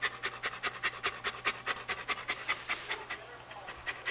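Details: Shelby, a female Saint Bernard pet dog who pants daily, more in summer heat, pants rapidly: breathy bursts about two to three per second, steady and rhythmic, with a person's voice nearby.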